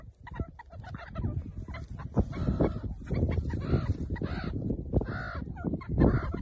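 Meerkats give a busy run of short clucking chirps and peeps over a low rumbling background.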